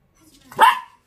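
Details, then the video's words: Pet Dachshund barking in reply to its owner as though holding a conversation; a single bark that swells and fades, with quiet low sounds just before it. "숏다리 닥스훈트 폴리쉬 vs 멍멍이삼촌 대화가 되는 넘"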